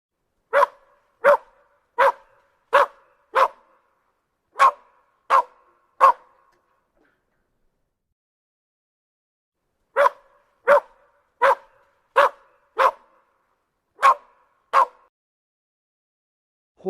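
A dog barks in two quick runs of sharp, clipped barks, with a short pause between.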